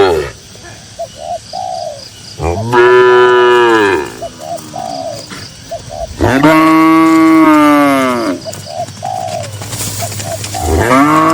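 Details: Cattle among dozens of cows walking calmly in a green pasture; two long, loud, harmonic moos, each rising then falling over about two seconds, with short soft cooing notes from birds between them.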